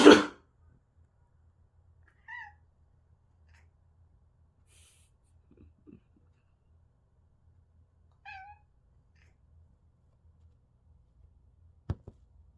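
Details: Domestic cat crying in response to a person coughing indoors: a loud cough opens, then two short, falling, tonal meows follow around the second and eighth seconds, with a sharp click near the end and a low hum throughout.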